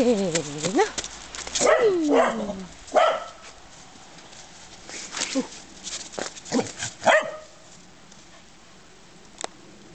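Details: A Corgi at play in the snow lets out bending, whine-like howls that dip and fall in pitch, two long ones early then shorter yelps, mixed with crunching movement and a human voice.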